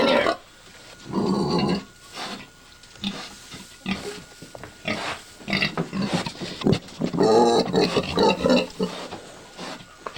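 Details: A sow close to giving birth, nest-building and eating banana leaves, gives a run of harsh, throaty grunts and rough, squealing snorts in uneven bursts.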